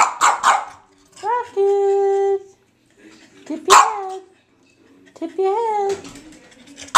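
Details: Rocket, a foster dog, mixes short barks with long, steady high whines that rise then hold level, alternating bark and whine across several seconds indoors.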